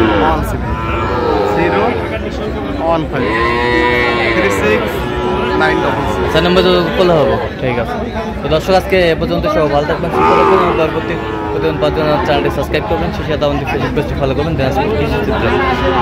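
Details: Sahiwal bull calves at a busy market near Narayanganj, Bangladesh, 12 July 2025; several bellowing moos with wavering pitch come through dense crowd noise, overlapping speech and haggling.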